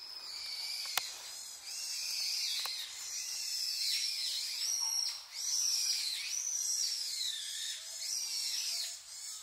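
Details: Japanese macaques, a wild troop with babies at Awajishima Monkey Center in southern Sumoto, Hyogo, Japan, returning shortly before 3 pm. Several callers give clear, tonal, arching coos in a steady chorus, each rising then sliding down, with one sharp tap near the start.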